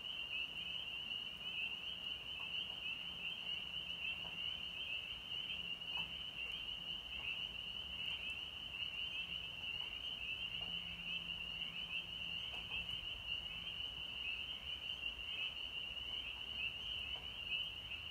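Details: A dense chorus of spring peepers (Pseudacris crucifer) in North Georgia on March 24, 2020 gives a steady, ringing wall of high piping peeps.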